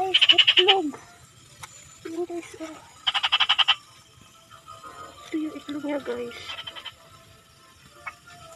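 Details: Frog calling in two short bursts of rapid, evenly pulsed croaks, each lasting under a second, separated by lower tonal sounds and quiet background murmur.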